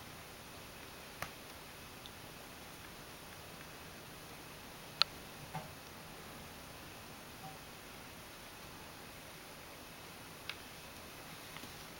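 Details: Near-silent indoor room with a steady faint hiss, scattered soft ticks and a few brief rustling clicks.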